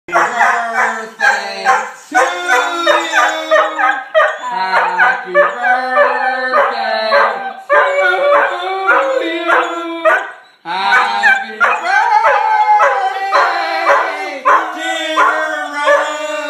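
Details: Pet poodle howling along to Happy Birthday. A long run of drawn-out, wavering harmonic howls in phrases of about a second, rising and falling with the tune. Steady, lower sung notes run underneath, with brief breaks between phrases.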